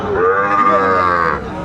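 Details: Sahiwal bull calf at a cattle market where a farmer from Chattogram, Bangladesh, buys calves, 14 January 2025: one loud, drawn-out moo with a rich stack of harmonics, steady then fading after about a second and a half.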